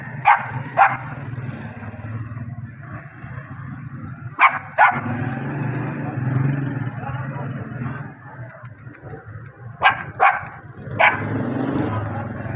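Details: Puppy giving short sharp barks in pairs, spaced several seconds apart, with a steady high-pitched whine and low rumbling noise throughout.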